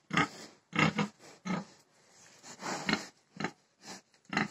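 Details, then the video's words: Grunting pig, loud broad bursts at irregular intervals of about half a second to a second, some notes longer and harsher. "PIG HOG"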